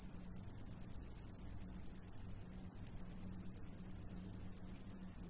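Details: A cricket trills steadily, its high, bright pulses repeating in a fast, even rhythm, as several crickets sing while one eats.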